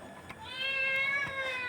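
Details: Hungry pet cat meowing to be fed while its owner brings a dosa: one long drawn-out meow, steady then slightly falling, with rich harmonics. A woman speaks Tamil softly around it.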